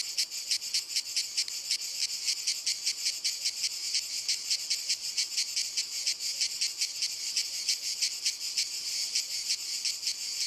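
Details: Several cicadas sing from walnut trees in an unbroken, sizzling high drone that throbs in rapid even pulses of about four to five per second throughout.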